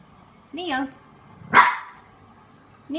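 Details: French bulldog puppy, frightened of a green washing basket, gives a wavering whine followed by one sharp bark while a person's voice urges him on.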